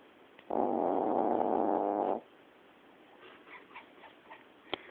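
A Yorkshire Terrier gives one loud, rasping snore lasting under two seconds, then quiet breathing.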